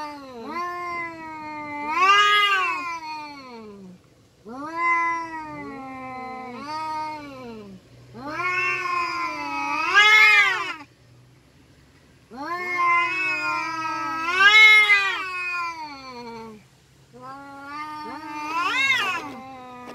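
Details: Fighting free-roaming village cats trading long, rising-and-falling yowls in bouts of a few seconds, each swelling to a shrill peak before sliding down, with short silences between.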